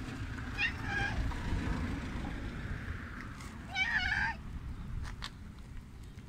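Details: A big male tabby cat met at a roadside bus stop meows twice, each a short, nasal, wavering cry about three seconds apart. Steady traffic and wind rumble underneath, with a few sharp clicks near the end.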